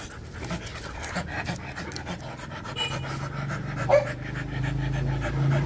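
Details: Rapid rhythmic panting from a Rottweiler in the middle of mating, breathy puffs over a low rumbling background that swells toward the end.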